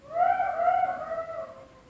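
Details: Jackals howling at night close to a tent in the Abkhazian mountains, a cow nearby seemingly afraid of them; one sustained harmonic wail, steady then gently sliding downward and fading, over low rumbling background.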